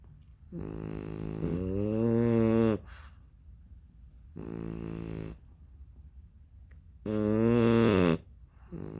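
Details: Sleeping French Bulldog puppies snore in three loud, rasping bursts, each lasting one to two seconds and separated by quieter breathing gaps; the buzzy, harmonic-rich snores rise slightly in pitch as each breath draws in.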